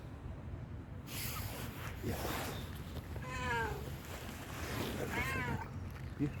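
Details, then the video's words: Hungry stray tuxedo cat gives two drawn-out, wavering meows in the second half, each rising then falling, after a woman speaks in Turkish; low rumbling background noise throughout. "Hungry Tuxedo was snoring for his other stray friends"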